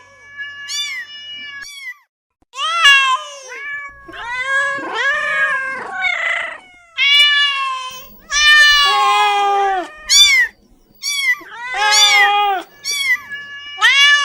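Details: Several domestic cats meowing repeatedly, about every two seconds: short, bright mews alternating with longer, wavering, slightly strained cries that bend downward at the end, separated by brief silences.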